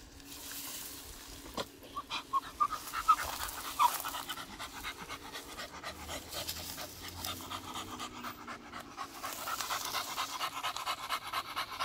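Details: Beagle out on its morning walk near garden plants, breathing in soft, airy pants a little over once per second, with a few faint high tones early and a low hum in the background.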